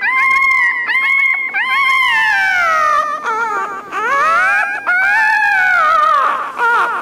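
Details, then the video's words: Crying puppy, its whimpers meant to catch dogs' attention: long, loud, continuous whines with stacked harmonics, holding steady then sliding slowly downward, broken by brief upward-swooping yelps. "Tiếng con chó con kêu khóc Ư Ử |puppy crying"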